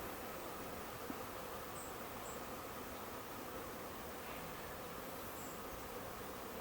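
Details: Thousands of honey bees swarming in a Huntington Beach backyard, settling into a bush while looking for a new home; continuous low buzzing drone with a brief faint click and a man's exclamation nearby.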